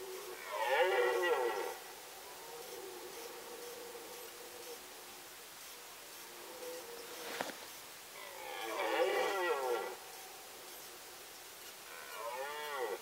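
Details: Red deer stag roaring during the rut in the Sandomierz Forest, Poland, 2018: two long hoarse harmonic bellows about a second and a half each, several seconds apart, with a third roar beginning at the end over quiet forest background.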